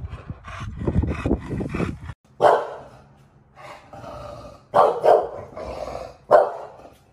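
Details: Bulldog barking while it bullies garbage cans: after about two seconds of low rumbling noise, four short, sharp, mid-pitched barks come singly and in a quick pair, with quiet gaps between.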